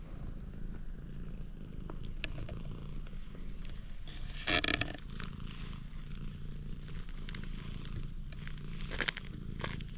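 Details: Parking-lot stray cat warming to a person, recorded on a GoPro HERO8: a continuous low purring drone holds throughout, with brief rustling and scraping bursts around the fourth second and near the end.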